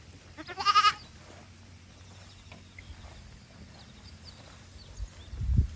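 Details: Young goat kids playing energetically on a handmade goat farm in Japan, 21 August 2022; one short vibrato bleat near the start, then quiet rustling and a low thump at the end.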